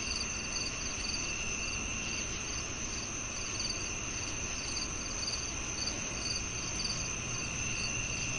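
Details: Cricket chirps come in brief high pulses, spaced unevenly, often in pairs, above a steady ringing insect tone and constant background rush.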